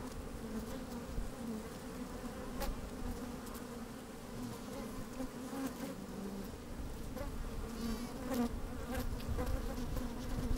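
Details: Honey bees working inside an open hive on a fine sunny day, microphone slid down among them: a steady low droning hum with harmonic bands, small bursts of buzzing as bees move about, light wind noise.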